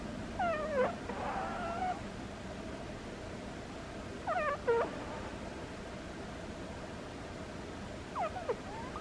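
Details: Sleeping domestic cat giving squeaky snores: three short high squeaks with quick upward and downward sweeps, spaced about four seconds apart, over a low steady background hum.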